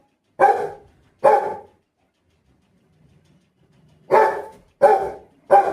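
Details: A pet Rottweiler barks: two deep, loud barks about a second apart, a pause of over two seconds with faint low murmuring, then three more barks in quick succession.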